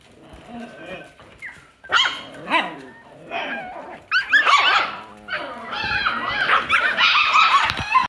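An Alaskan Klee Kai puppy gives high, wavering whines and short yips, with some human speech.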